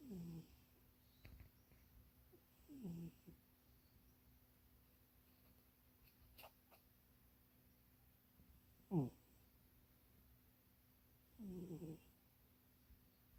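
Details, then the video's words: Munchie the cat snoring and dreaming while napping in a box that is too small: soft, low snores come every three seconds or so, each a brief falling tone, with quiet stretches between. "Munchie kitty snoring and dreaming"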